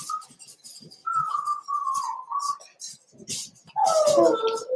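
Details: Cavalier King Charles Spaniel puppies in a home puppy pen on December 13, 2022, meeting older dogs for socialization; drawn-out tonal whines waver and slide, ending in a louder, bending whimper, with faint clinks in the background.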